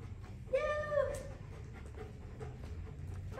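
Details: Bernese Mountain Dog during a training session: a single high, drawn-out whine lasting about half a second with rich overtones, followed by faint shuffling and low room rumble.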